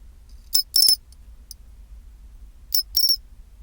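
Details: Pine cricket singing its 'chin-chiro-rin' song at 24℃: two clusters of high, sharp, ringing chirps, a short note followed by a longer trill-like burst, separated by about two seconds of quiet with faint low hum.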